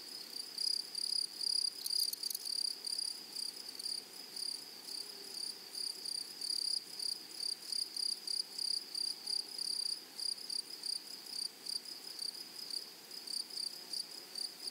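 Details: Meadow grasshoppers chirp in clear, evenly spaced high-pitched pulses, about two or three each second, forming a regular ticking trill that runs through the whole stretch over a quiet natural background.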